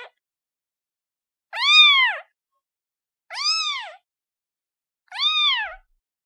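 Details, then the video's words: Young kitten crying out for its mother with three bright arched meows, rising then dropping, evenly repeated roughly every one and a half seconds against complete silence. "SUARA ANAK KUCING MEMANGIL INDUKNYA"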